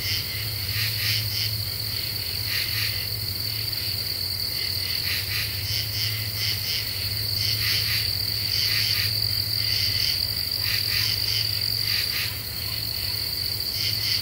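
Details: Several common true katydids sing in a night-time deciduous forest, July 2013: rough, clipped rasps grouped in twos and threes, roughly four per second overall, under a steady piercing insect whine and low hum.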